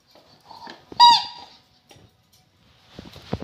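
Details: Rottweiler giving one loud, high, harmonic whine that bends downward, preceded by softer whimpers and followed by quiet rustling and faint scratchy sounds.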